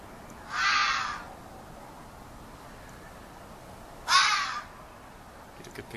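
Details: Young local fox calling and yelling in a yard: two harsh, hoarse screams about three seconds apart, each roughly half a second long, over a quiet background hiss.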